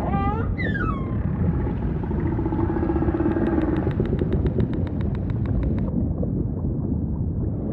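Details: Humpback whale vocalising over steady ocean rumble: a sharp rising-then-falling harmonic cry opens, a soft sustained low tone follows, then a rapid train of evenly spaced pulses lasting about two and a half seconds before fading to rumble.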